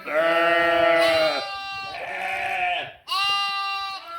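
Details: Bleating sheep and lambs recorded 11/5/2026: three bleats, the first loud and trembling, the second a softer drawn-out cry, the third short and sharp at the end.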